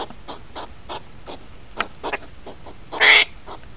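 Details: Hedgehog rut sped up, two hours compressed into five minutes: spaced puffing snorts, then one louder, harsher burst near the end.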